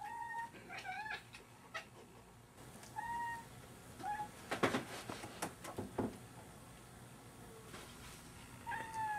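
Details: Cats going after a fly give brief tonal chirps and trills, some with a quick upward twist. Clusters of these sounds are broken by sharp clattering bumps near the middle.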